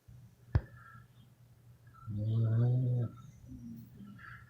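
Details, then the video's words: Beagles Barney, Betty, Dolly, Sally, Peggy, Sammy, Wally, Kenny, Suzy, Molly, Polly and Sage sleeping; a sharp click comes first, then a single low, rumbling, harmonic snore lasting about one second. "Beagles Snoring"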